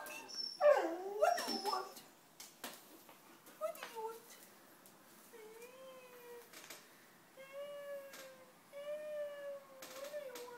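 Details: A crying dog gives high, drawn-out whimpering whines, each steady then bending up or down, several spaced through the later seconds, after a loud burst of a person's voice talking to it at the start.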